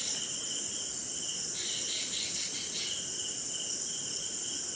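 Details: Recorded somewhere in India on a rainy night: a dense, steady chorus of crickets trilling high and continuously, with softer insect buzzing beneath, during a short rain with slight hints of thunder.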